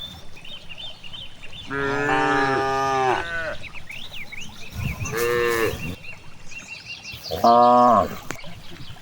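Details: Cattle out grazing in a vast rice field: a long, steady moo lasting over a second, then two shorter, higher moos a few seconds apart, while small birds chirp repeatedly in the background.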